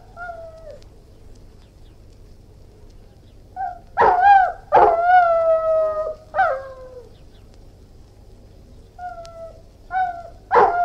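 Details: Irish Wolfhound alternating sharp barks with drawn-out, sliding howls, with short soft whines between the louder bursts; a bark closes the sequence.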